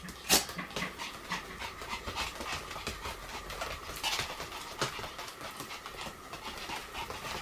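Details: Pomeranian play-fighting flat out, 'kung fu' style: steady rapid panting with soft whimpering breaths and occasional sharp clicks and scuffs over a faint steady hum.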